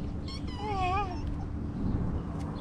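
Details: Young tuxedo kitten, a stray living near the beach in Istanbul, after eating and wanting to play: one short wavering meow with rising and falling harmonics, over a low steady rumble.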